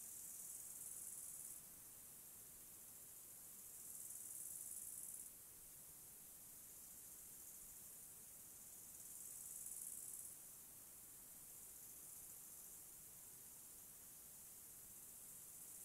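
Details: Mountain forest crickets keep up a continuous high-pitched hiss-like trill, swelling into louder, sharper chirping bursts roughly every four to five seconds near the start and middle, then settling back to an even drone.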